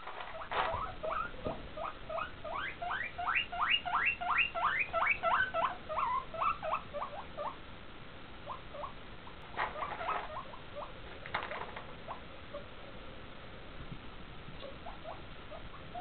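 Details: Two pet guinea pigs squeak while their food is rattled: a run of quick, rising whistled squeaks, several per second, over about six seconds, then a few scattered shorter squeaks and faint rustling.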